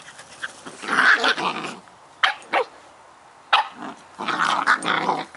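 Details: Scottish Terrier puppies Bonnie and Basil at play, trading noisy growls and sharp little yaps: a long rasping growl, two quick barks, then another burst of gravelly growling.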